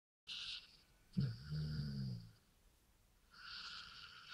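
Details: Dog from a sawmill, given three beers, making a low, drawn-out harmonic grumble of about a second, with bursts of breathy, hissing noise before and after in a small indoor space.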